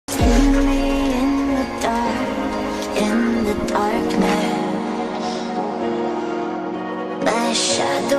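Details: Melodic Asian-style song with singing and sustained instrumental tones plays throughout, with no animal sound standing out.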